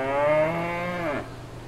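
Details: Farm cow giving a single drawn-out moo, rich in harmonics, holding steady then dropping sharply in pitch at its close, over a faint low background hum in the countryside.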